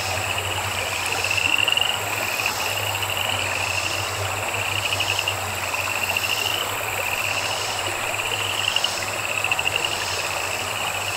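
Frogs call in quick pulsed trills at a high pitch, each burst lasting a second or two and repeating throughout. A constant thin buzz of insects and a faint low hum run underneath.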